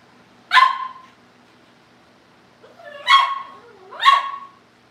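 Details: Cavalier King Charles Spaniel puppies indoors at a breeder's family home, shortly before going to their new families: three high, yelping barks, one alone and then a close pair about a second apart, over a quiet background.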